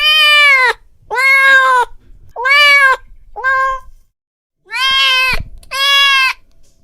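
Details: Angry house cat calling in loud, drawn-out meows, six harmonic wails under a second each, separated by short pauses, with a faint knock near the end.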